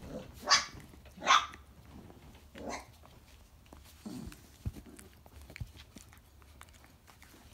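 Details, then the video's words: Two sharp, bright yips close together from 4.5-week-old Briard puppies, then a softer third yelp, with faint rustling and quiet room noise afterwards. "4.5 Week Old Briard Puppies"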